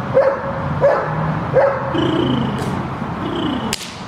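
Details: Shepherd dog in guard training gives three short, sharp barks about 0.7 seconds apart in the first two seconds, followed by a steady low rumble and faint background noise, with a brief sharp click near the end.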